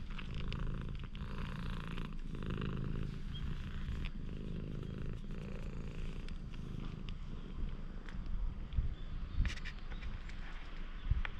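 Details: A stray cat in a parking lot purrs as it opens up to a person it met by chance, recorded with a GoPro HERO8. A continuous deep, even purr runs throughout, with occasional soft taps and rustles near the end.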